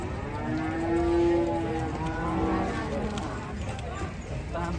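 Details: Raging cattle: a long, steady, low moo holds level for about two seconds and then fades into a softer trailing call, with faint background murmur throughout.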